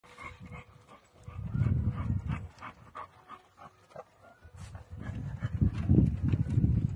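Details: Dogs, an American Bully and a Bullmastiff, making deep, rough, low growling bursts of a second or more, with quieter panting breaths in the gaps, outdoors.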